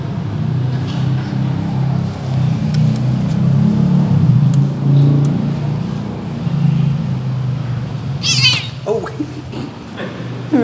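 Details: Irritated cat with its tail being touched gives a short, strained meow late on and a brief rising cry at the very end, after a long stretch of steady low rumbling hum and faint clicks.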